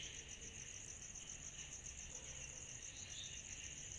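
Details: Short stretch of a summer-night cicada chorus: an even, piercing pulsed trill high up and a steady lower buzz, unchanging from start to finish against soft low background noise.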